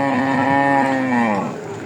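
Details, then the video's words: A cow (milch cow) bought by a Comilla farmer at Raniganj market in Ghoraghat upazila gives one long, deep, harmonic moo that slowly falls in pitch and fades after about one and a half seconds. "গাভী গরু"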